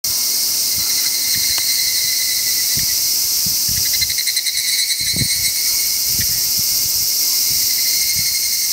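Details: Higurashi cicada singing: a dense, steady high-pitched ringing drone with bright bands throughout, and a brief pulsed, rattling trill in the middle. Faint low thumps sit underneath.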